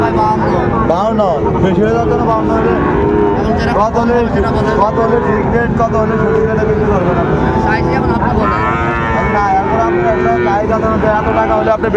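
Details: At Raniganj cattle market, Dinajpur, Bangladesh, on 2 May 2024, Sahiwal bull calves give several overlapping, wavering moos amid dense crowd talk and busy market noise.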